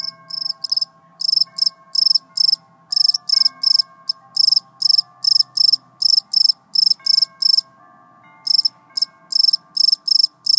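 A cricket chirps in short, high, trilled bursts, repeated about twice a second.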